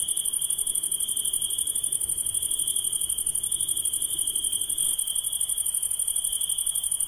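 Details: Nocturnal insect call: a relentless high, ringing trill beating in rapid regular pulses on two constant pitches, with quiet low-frequency noise fading slightly toward the end.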